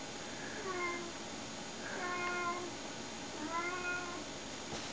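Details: Several excited domestic cats, including Snowshoes, a Siamese and a British Shorthair, queue indoors in a play tube. Three drawn-out, rising-then-falling meows sound about two seconds apart over a steady hiss.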